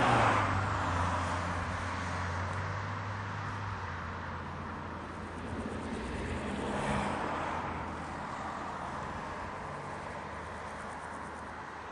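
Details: Broad rushing noise of passing vehicles or wind, swelling and fading over a low engine rumble.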